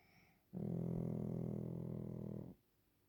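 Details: Pekingese Waffle asleep, letting out a single long snore of about two seconds, a steady, deep, buzzing rattle rich in low tones, with quiet before and after.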